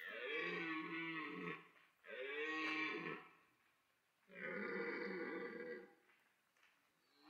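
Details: Rutting red deer stag at Parc Sainte-Croix animal park in autumn, where stags pursued, mated and fought; three loud, raspy, harmonic bellows of one to two seconds each, separated by short pauses, the last slightly higher.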